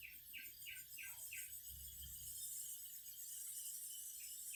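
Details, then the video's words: Cicadas singing, their continuous piercing high buzz filling the background, while a series of five quick pulsed chirps repeats at the start and a couple more return near the end. "Singing cicadas"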